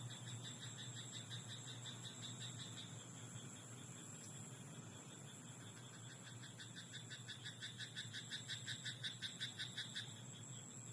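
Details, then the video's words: At night in a rice paddy, a frog gives a fast run of clicking, pulsed croaks. They grow louder toward the end, with fainter croaking earlier, all over a constant high-pitched hiss and low rumble. "田んぼのカエル "Croaking frog in rice paddy at night""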